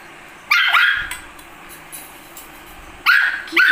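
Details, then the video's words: Angry puppy barking during a fight: two sharp, high yapping barks about two and a half seconds apart, with a further yelp at the end over quiet background. "Funny Puppy Barking Compilation//Angry Dog Barking//Fighting Puppy"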